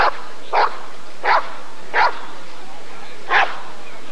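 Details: Rottweiler barking at the ADRK breed survey (Körung) in 1994: five loud, harsh barks at uneven intervals, with a longer pause before the last one.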